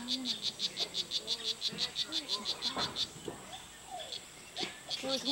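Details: Poison dart frogs in a Costa Rica rain forest: a fast series of about fifteen evenly spaced, high chirping pulses over three seconds, then it stops while people talk nearby.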